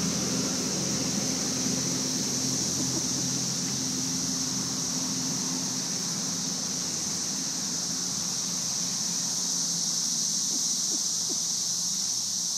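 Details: Thousands of cicadas massed in the trees during the May 2011 invasion produce an even, shimmering hiss, constant throughout, over a low droning hum and scattered soft knocks.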